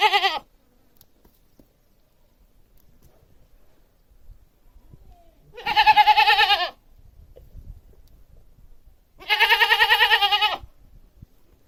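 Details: Domestic goat bleating three times over about twelve seconds: a cut-off bleat at the start, then two long, trembling, nasal cries spaced roughly three and a half seconds apart, in quiet surroundings.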